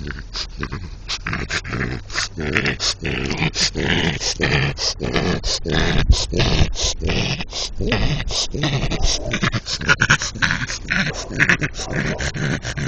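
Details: Infatuated with a brick, a French Bulldog keeps up loud, raspy snorts and throaty grunts in a fast, irregular stream of short bursts.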